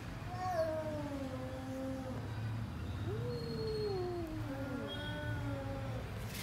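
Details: Pet cat meowing indoors: three drawn-out tonal meows, the first falling slowly, the second rising then gliding down, the third wavering, over a low rumbling background hum with soft human voices nearby.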